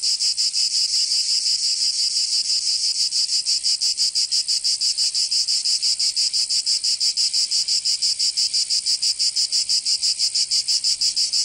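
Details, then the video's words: Summer cicada chorus in Provence, in the south of France. The high, hissing buzz throbs in fast regular pulses, nearly three per second, and holds unbroken for the whole stretch with no other sounds. "Escuchar les cigarras en verano"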